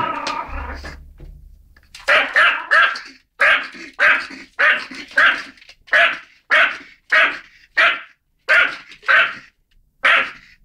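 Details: Excited pet dog seeing a mouse for the first time, barking steadily in sharp, bright barks roughly every half second, preceded by a brief low rumble.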